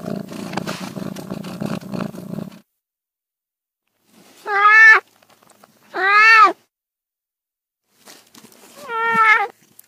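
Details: Domestic cat meowing three times, drawn-out arched meows with rich harmonics spaced a second or more apart, following a stretch of low rumbling noise at the start.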